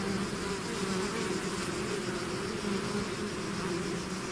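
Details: Honeybee swarm pouring out of its hive, a dense steady drone with a low hum near 200 and 400 pitch bands, continuous and unbroken throughout with no other sounds.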